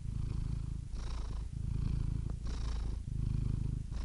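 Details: A cat purrs in a deep, even rumble, swelling and easing with each breath about every one and a half seconds, soft airy hiss marking the turns.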